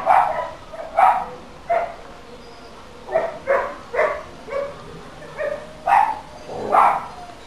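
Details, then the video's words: Barking dog recorded for council noise nuisance monitoring, giving about a dozen uneven barks, roughly one per second, varying in loudness and pitch against a quiet background. "Dog barking Council noise nuisance monitoring"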